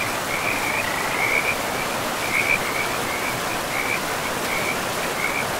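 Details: Frogs in a pristine forest by a river give short, high, buzzy trilled bursts roughly every second, the brightest near the start and middle, set against a continuous wash of running water.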